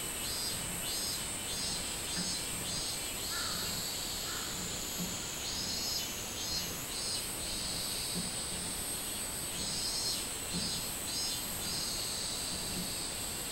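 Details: A minmin cicada recorded 24 July 2016 in summer gives high pulsing buzzes in quick series, with a couple of lower cawing calls from a crow early on and a steady shrill background hum.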